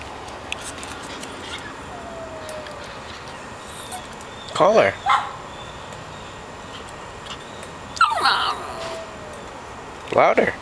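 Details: A female dog calling to a friend from the house down the street gives three separate bursts of arched, harmonic howling, each several seconds apart. Faint falling tones and a person's voice are heard between the calls.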